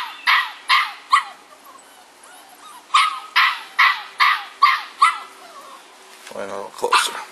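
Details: Rowdy six-week-old bulldog puppies of a Felony x Noah litter yap in quick bursts roughly twice a second, then pause; a lower grumble and a human voice follow near the end.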